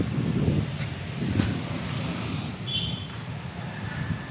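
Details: Low traffic rumble and vehicle noise with no clear animal voice.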